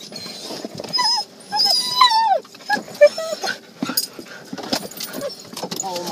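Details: Siberian Huskies excited on arriving at a dog park: high, wavering whines and yips sliding downward, mixed with people talking nearby.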